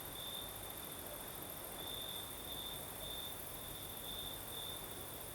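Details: Night chorus of crickets in the south of Crimea, breeze blowing: continuous high-pitched trilling that swells into brighter bursts about every half second to second, set against steady windy rushing noise.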